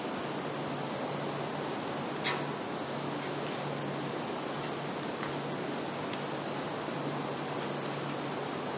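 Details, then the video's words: Insects in a field in Zhukovsky district, Kaluga region, Russia, recorded 11 September 2019 on a Samsung Galaxy phone: a continuous, steady, high-pitched shrill chorus of several overlapping unbroken tones over a broad hiss, with one brief click near two seconds. "Sounds of insects in field"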